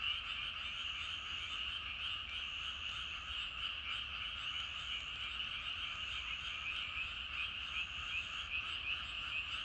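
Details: Evening chorus of numerous frogs in rice paddies: an unbroken wall of croaking, high and dense, holding steady level over the whole stretch with faint higher chirps above.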